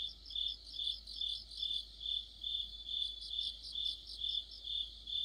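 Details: Autumn night chorus of crickets with fellow insects near a streetlamp, high-pitched chirps layered over a constant ringing trill, loudness rising and falling in even waves roughly every half second.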